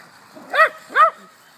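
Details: Small poodle chasing a toy car lets out two sharp, high-pitched yaps about half a second apart in a quiet room.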